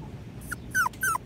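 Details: Five-week-old Patterdale Terrier puppies exploring a homemade earth tunnel of black PVC pipe; three short, high, falling puppy yips in quick succession over a quiet background.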